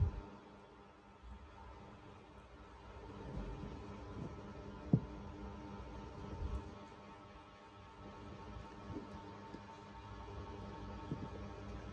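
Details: Quiet indoor room tone with faint low rumble, a soft background hum and one sharp click, with no animal voice heard.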